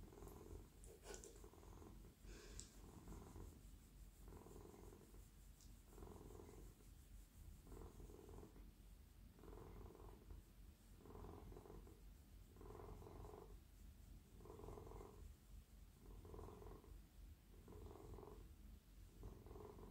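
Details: Purring of a very friendly, silky male house cat being stroked on the lap at night: deep continuous rumble rising and falling in regular inhale-exhale pulses roughly every second and a half, with soft handling noises.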